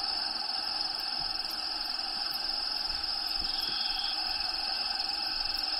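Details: Crickets kept as live food inside the vivarium of Diego, a pet bearded dragon, trill in a steady, high, shimmering pulse that never pauses, while recorded natural habitat sounds play softly underneath.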